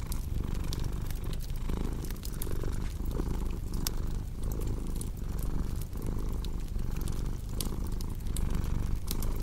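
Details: Domestic cat purring steadily, a deep low rumble swelling and easing in breath-paced cycles, with sharp crackles and pops of a fireplace scattered throughout.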